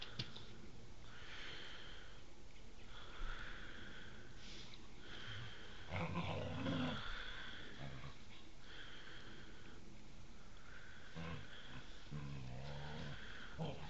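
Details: Huskies playing outside in the snow on 15 January 2013, giving low rough growls and drawn-out, wavering whine-like calls over a steady background hiss, with a louder growling burst near the middle.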